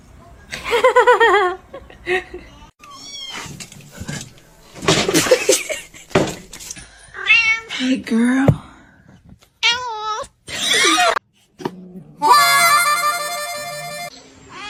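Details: Kittens meowing indoors: repeated high, thin, wavering meows in short bursts, some rising then falling, one long strained cry near the end, mixed with people talking close by.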